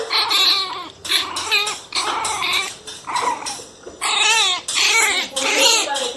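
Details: Pinscher puppies barking angrily indoors: shrill, yappy barks and whiny yelps in rapid bursts with wavering, bending pitch, about six loud volleys separated by brief pauses.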